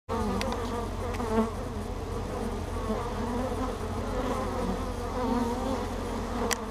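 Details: Bees at the entrance of a hive named Ester, some arriving with pollen on their back legs, captured by a GoPro on the entrance: dense overlapping wingbeat drone with wavering pitch, plus a few sharp taps.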